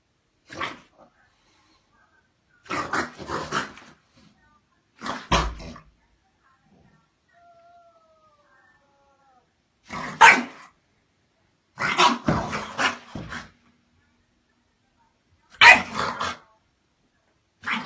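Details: French Bulldog indoors barking playfully to start a game with a grumpy housemate cat that answers with irritated growls; short harsh bursts of barking come in clusters every few seconds, separated by quiet gaps, with a faint whine near the middle.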